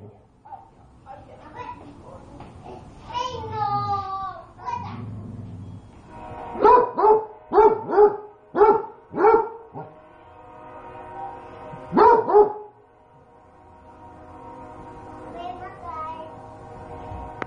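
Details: Pet dog, called Popi, barks angrily at food that is too hot: people talking first, then a fast burst of about six sharp barks, a pause, two more barks, then a steady hum.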